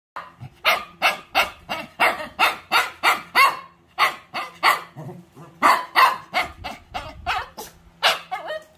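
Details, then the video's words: Pet Shih Tzu barking indoors in the morning, waking its owners: a rapid run of sharp, high yappy barks, about three per second, continuing steadily with brief pauses throughout. "Our alarm clock in the morning!"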